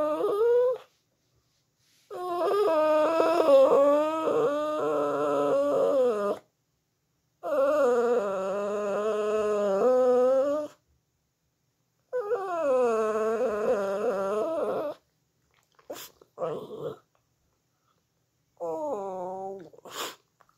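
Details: A Shih Tzu howls in long, wavering, tuneful bouts, each lasting several seconds, singing along to music.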